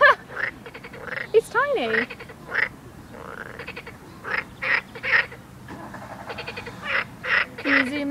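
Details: Small frogs by a river in the Midi-Pyrénees, southern France, give short, bird-like pulsed calls in quick repeated bursts, possibly warning or mating calls, starting as people approached; people talk and laugh nearby.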